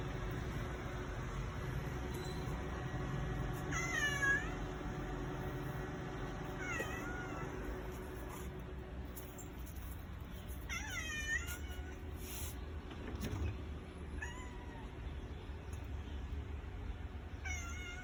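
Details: Domestic cat crying after its departing father and older brother, unwilling to leave the vehicle; repeated pleading meows, some short and some drawn out, coming every few seconds over a constant low rumble.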